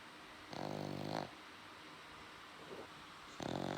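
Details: Pet dog snoring loudly indoors at night, two long rasping, harmonic-rich snore bursts of under a second each with a faint one between, separated by quiet pauses in a small room.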